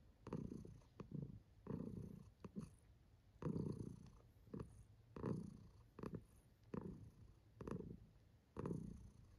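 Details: Kiwi, a pet cat, purrs while enjoying herself; rumbling bursts about a second long separated by short quiet breaths, fairly loud and close.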